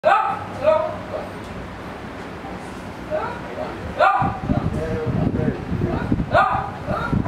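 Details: A 17-year-old dog, awake after right ear wart removal, gives hoarse, spaced barks every second or two over a low rumble; the owner suspects he barks to go to the toilet outdoors.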